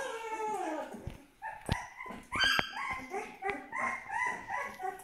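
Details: Twelve-day-old Aksaray Malaklı puppies whining, overlapping harmonic cries sliding down in pitch, then shorter broken yelps and whimpers with a few sharp knocks in between.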